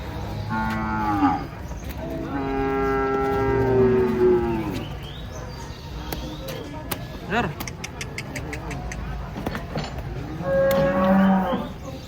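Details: Huge cattle coming down off a truck during unloading, giving three drawn-out moos: two long bellows early on, a pause with clatter and knocking, then a final rising moo near the end, with low mechanical rumble throughout.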